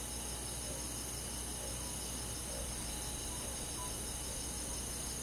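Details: Rural summer night in the forest, crickets and insects keeping up a steady, high, rapidly pulsing chorus that never breaks, layered over a low rumbling hum.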